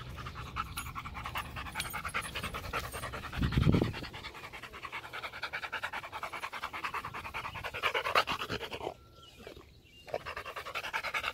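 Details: Macho the Rottweiler panting during a game of fetch: rapid, uneven breaths about three per second, with one louder low burst partway through and a brief quiet gap near the end.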